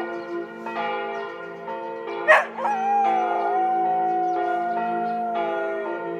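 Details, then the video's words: In Tiergarten, Berlin, a Border Collie called George joins ringing church bells with a wolf-like howl. Following a loud bell strike, a long, softer, gently sliding howl continues to the end amid layered bell tones. "Border Collie sings with the church 😍 边牧听教堂钟声唱歌 😍 Heulen mit der Kirche in Tiergarten Berlin"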